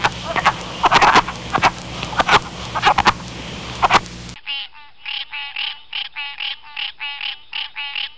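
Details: Frogs from the recordist's local area: first loud clicking, knocking calls over a noisy background, then a cleaner run of nasal, pulsed croaks repeated about twice a second.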